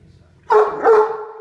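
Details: Pet female Great Dane guarding her supper from her brother dog, sounding a brief growl while eating in her favorite chair indoors. One short, loud, voiced grumble with two pulses and a sustained tonal core.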